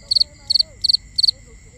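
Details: Crickets at night, binaural recording: four crisp, high chirps, each a tight burst of three pulses, with faint gliding whistles and a steady high hum underneath.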